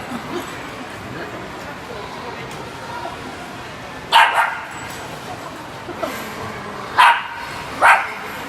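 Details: Two-year-old female Shiba Inu playing in her own way at a small indoor dog run on a rainy day in early spring: a few short sharp barks, single and paired, at irregular intervals over steady background room noise.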